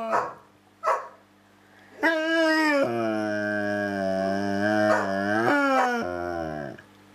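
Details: A dog named Samson holds a long, talkative exchange with Josie: two short yips, then a sustained harmonic howl-like moan lasting several seconds, wavering and rising at the end, followed by a lower drawn-out whine.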